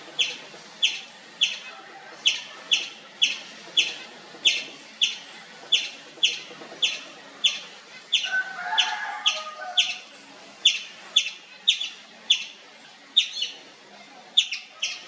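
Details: Nonstop chirping from an Indian palm squirrel: high, clipped chirps repeated about twice per second for the whole stretch, with a brief softer mid-pitched warbling sound around the middle.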